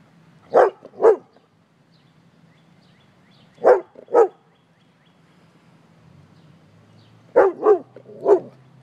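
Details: Pet dog barking at a man it has spotted: loud sharp barks in pairs and a triple, spaced several seconds apart, with low background hum.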